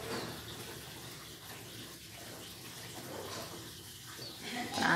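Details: Only a steady hiss of running water or noise with faint muffled sounds, and no animal voice.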